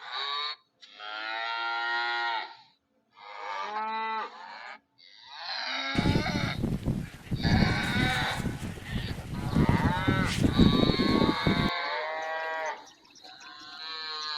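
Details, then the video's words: Cow giving a few short, harmonic moos, then a loud, rough burst of broadband noise lasting around six seconds, followed by one more moo as the noise stops. "Cow sounds"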